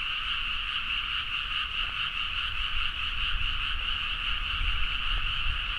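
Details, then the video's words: Midnight frog chorus from paddy fields in Nagaoka, Niigata, Japan, captured with a Zoom H4n: continuous massed croaking in two steady high bands, no pauses, over a noticeable low-frequency background hum. "The frog sound at mid night (環境,自然音 -深夜のカエル大合唱-)"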